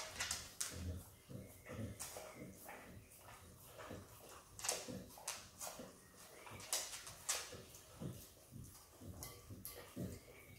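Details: Peanut butter eaten by Izzy, a happy Australian Kelpie x Border Collie puppy: sharp wet licks and lip smacks come in uneven bursts, some loud and close.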